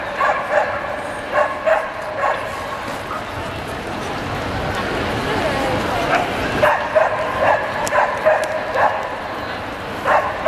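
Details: Samoyed barks at a dog show in Lahti, champion class males, 27 April 2014: short, sharp yelping barks in irregular bursts, some in quick pairs, over a steady hum of indoor crowd chatter and voices.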